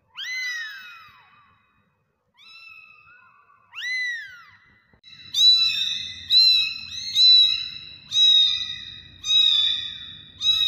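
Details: Kittens, domestic cats, calling: a few drawn-out descending mews at first, then a quick run of shorter, very high, insistent meows roughly once a second, with a faint low rumble beneath the later calls.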